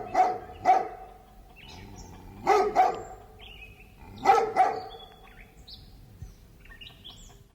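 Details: Big dog gives sharp barks in close pairs, three pairs spaced about two seconds apart, with small birds chirping and whistling in the background between barks.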